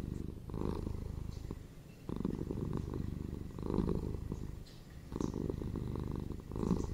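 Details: Domestic cats purring for sleep and relaxation, a throaty low-pitched buzz pulsing in waves, each loud phase lasting about a second with quieter inhalations between.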